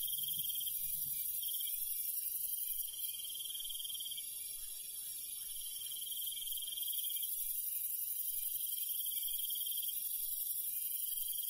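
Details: Crickets in the countryside at night trill in high pulsed runs, some briefly broken, under steady shrill insect buzzing and a faint low rumble.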